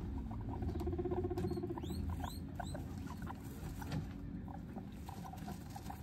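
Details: Baby guinea pigs settling into a fresh cage, recorded up close from inside it: a few faint, short, rising whistled squeaks near the two-second mark over steady rustling, pattering movement and a low hum.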